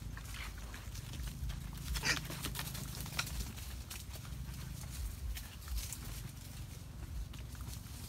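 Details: Wild boars foraging for food give low, rumbling grunts amid scattered snuffling and rustling noises.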